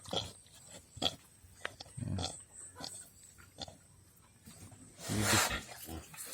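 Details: Captured wild pig (baboy ramo), tied up and described as gentle, with small piglets nearby: short low grunts and snorts, then a louder harsh broadband squeal near the end, with clicks and people talking softly.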